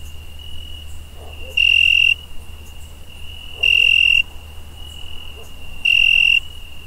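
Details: A cricket at night keeps up a steady high trill, swelling into loud, harsh half-second bursts about every two seconds.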